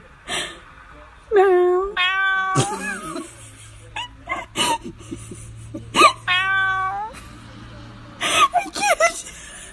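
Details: Domestic cat meowing from a 2019 funny cat compilation: several drawn-out harmonic meows, some rising then falling, separated by short gaps, with human voices and a low steady hum underneath.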